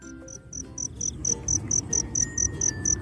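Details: At night, off-season, a two-spotted cricket (Gryllus bimaculatus) sings at its burrow entrance before slipping inside: a high, clear chirp repeated about twice a second, the calling song to attract females.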